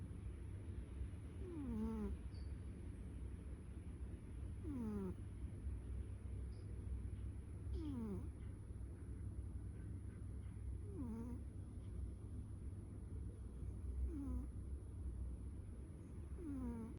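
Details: Pet cat snoring while asleep: a soft, whistling downward sweep repeats roughly every three seconds over a steady low hum, with no other clear sounds.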